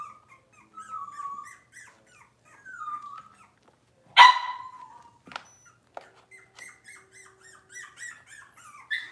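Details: Cavalier King Charles Spaniel puppies, six weeks old, whimper while being dewormed and having toenails trimmed indoors; drawn-out wavering whines, one sudden piercing yelp midway, then soft broken squeaks.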